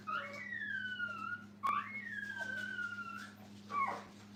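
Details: At a kennel, puppies with their mother let out long, thin whines that slide slowly downward, one after another, with a brief sharp click between them and a low hum in the background.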